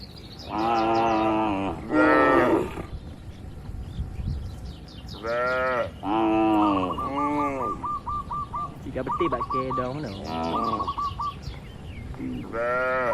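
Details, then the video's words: Cattle grazing freely in a large oil palm plantation, mooing again and again in long, rich, wavering calls, while rapid ticking chirps from a small bird run between the moos. "Moo Moo Suara Sapi Jinak"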